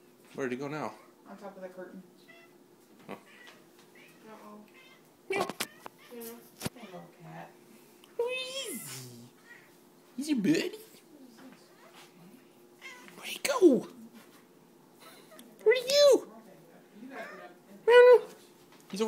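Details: Ariibella, a pet cat indoors, talking to a moth: short, tonal meows and chirps scattered across the clip, several rising then falling, mixed in with loud human talking, exclamations and sharp clicks in a small room.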